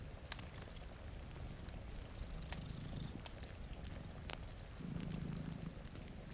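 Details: Low, vibrating purring from two cats dozing in front of a rainy window, strongest near the end, with crackling firewood pops and soft rain in the background.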